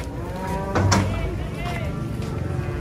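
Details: Cattle being unloaded from a truck; one brief, deep moo rises out of a busy mix of men's voices and vehicle noise.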